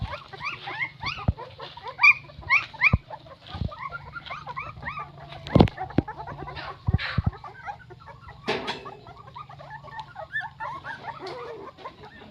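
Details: A litter of nine newborn puppies squeaks in dense, overlapping chatter: short, high, rising chirps, busiest at first, then thinner, with occasional sharp knocks and a brief rough burst.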